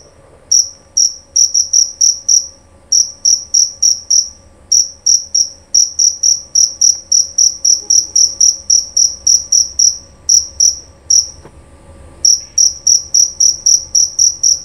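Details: High, ringing chirps from a male jerabang cricket, delivered in quick bursts separated by brief pauses. Near the end there is a longer silent gap before the shrill pulsing starts again.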